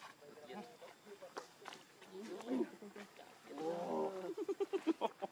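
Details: Baby monkey crying to beg its mother for milk: wavering, tonal whimpers rise and fall, then a swelling cry gives way to a rapid run of short, evenly pulsed squeaks near the end; faint background murmur.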